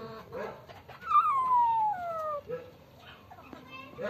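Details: Black-and-white kitten, found hiding with another kitten and caught by the tail after a chase, struggling and roaring. One long, loud meow that starts high and slides steadily downward over about a second and a half, with faint rustling and handling noise around it.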